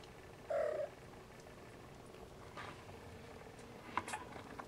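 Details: Nursing Siamese Snowshoe kittens, with a single short, clear mew just after half a second, fairly loud and steady in pitch, followed by quiet shuffling and a faint click near the end.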